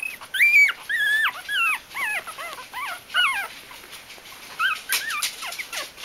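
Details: Bichon Frisé puppies together in a litter at a kennel; several high, wavering whines and squeals overlap, rising and falling in quick arcs, some piercing, continuing for several seconds.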